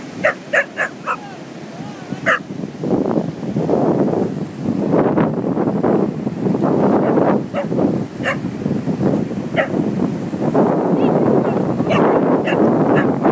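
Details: Ozzie, a dog at the beach in the sea, barking: a quick burst of sharp barks at the start, then single barks spaced every second or two, over a constant loud roar of rushing water and wind.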